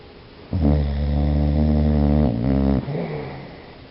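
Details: Sleeping dog named Biscuit snoring, a sustained low droning snore lasting nearly two seconds with a rich buzzy tone, followed by a shorter dipping snort.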